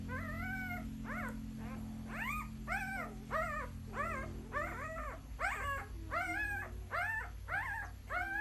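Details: Puppies crying: a steady run of high, arched whines with clear overtones, roughly one or two per second, some overlapping one another, over a constant low hum in the background.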